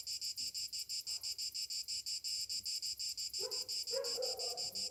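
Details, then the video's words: Summer morning cicada chorus, a piercing high buzz pulsing roughly three times a second; near the end a lower, harsher sound briefly joins in beneath the steady throb. "Morning summer cicadas sounds"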